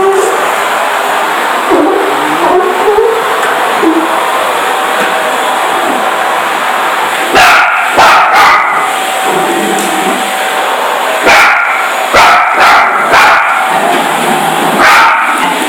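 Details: Jessie, a female Parson Russell Terrier, barks at a running vacuum cleaner, first afraid, now fighting for her territory. Sharp harmonic barks come in two clusters, near the middle and later, over a constant loud broadband hum from the vacuum.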